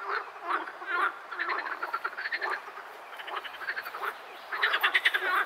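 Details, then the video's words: Edible frogs croaking in bursts of rapid, rattling pulses, several overlapping, with a loud stuttering run near the end. "Frosch Geräusch - Frosch quakt - Frösche quaken"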